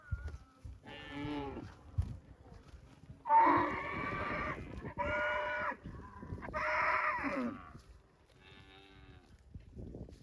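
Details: Cow mooing several times, with deep, drawn-out, nasal lows of one to two seconds each, some rising and wavering, separated by short pauses, over faint background rustling.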